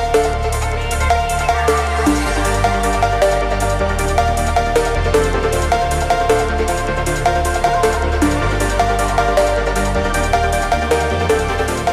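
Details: Steady, loud electronic dance music with a driving beat and bass runs throughout, and no animal sound.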